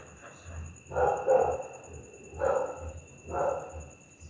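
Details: Angry night barking from a pit bull, three rough, broad barks roughly a second apart over a faint constant high whine and low hum.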